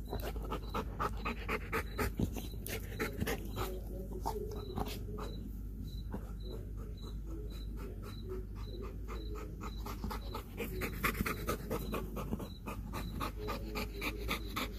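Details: Kayne, a Belgian Malinois, breathes in fast steady pants after a workout as he eats a whole raw chicken; rapid regular breath pulses run throughout, with a faint high beep repeating in the background.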